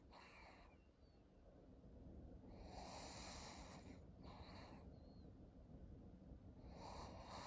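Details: Maria, a thirteen-year-old fawn female senior pug in Japan, recorded 7 August 2023. Four breathy, hissing snore-like breaths come at uneven intervals, each under a second long, over a steady low hum.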